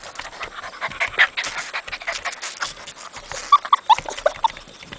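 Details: A Mexican dog in its cinder-block cage panting, with a handful of short, high whimpers clustered in the second half, over scattered clattering noise.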